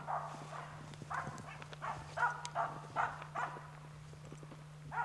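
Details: Finnish Spitz bird dog barking during the hunt, marking the bird for the hunter: uneven, fairly quiet barks about every half second, mixed with rustling and knocking sounds and a low steady hum.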